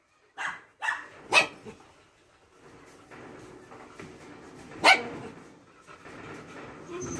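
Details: Belgian Malinois dog with a carabao horn, April 1, 2021: several short, sharp barks spaced irregularly, one louder burst later on, mixed with a man's spoken commands and low indoor background noise.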